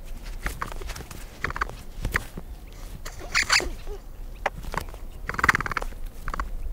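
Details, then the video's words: Capybara recorded in natural surroundings, uttering a rapid series of clipped squeaky grunts and clicking pulses, some louder harmonic squeals around the middle and end, over a low background rumble. "What does a capybara sound like?"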